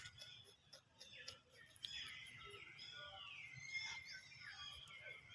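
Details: A frightened baby monkey screams after hearing people coughing: a dense, shrill, wavering outburst of high harmonic cries that swells and bends in pitch, sustained for several seconds over a steady background hiss.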